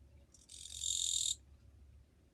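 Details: A high, grating buzz from a Japanese katydid recorded 2 July 2023, starting with a stuttered onset and swelling for about a second before ending sharply; a soft low hum runs underneath.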